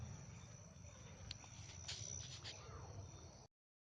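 A night insect gives a steady, high, shrill trill that runs unbroken over low rumbling background noise.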